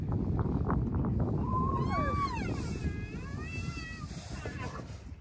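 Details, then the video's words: Rhino calves, including Bula lying down and moaning while Thaba stands over him, joined by other calves in a moaning chorus: thin, high whines that rise and fall, several overlapping, over a heavy rumble of wind. "A moaning chorus of rhino calves"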